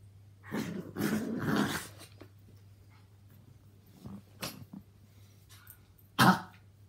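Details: Play session among three housemate dogs: Yorkies Walt (three) and Milly (four) and Maltese Harvey (two). A gruff, rasping growl burst opens, quiet gaps with small grunts follow, then one sharp loud bark-like snort near the end.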